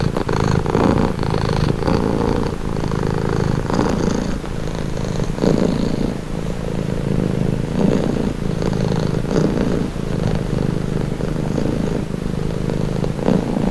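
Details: Cat purring steadily, offered as a calming, relaxing sound: a low, rumbling, continuous vibration that swells and eases in breath-length cycles of roughly one to two seconds, with no other sounds.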